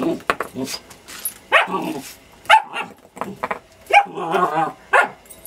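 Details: New German Shepherd puppy attacking a half brick. Short, high, rising yelping barks come in scattered bursts about a second apart, with people talking over and between them.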